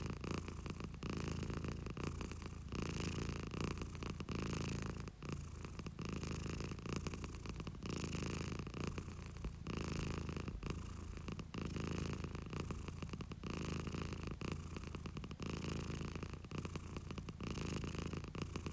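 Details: Continuous close purr of a domestic cat, a thick low vibrating hum rising and falling in regular breath cycles about every second or so, with no other sounds.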